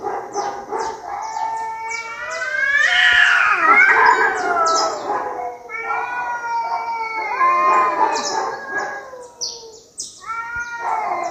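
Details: Fighting cats trade drawn-out, quavering yowls that climb into a loud, strained peak, then slide down into lower moaning wails; rapid high chirping repeats in the background the whole time.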